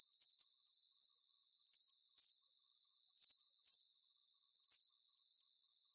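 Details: Calming cricket sounds for sleep, with a regular series of piercing, pulsed chirps. Each burst holds a few quick clicks and repeats about every half second above a gentle high-frequency hum.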